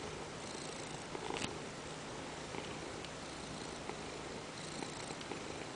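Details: Ragdoll cat on its owner's lap purring steadily while demanding petting, a constant low rumble with faint rhythmic pulses and a brief rustle partway through.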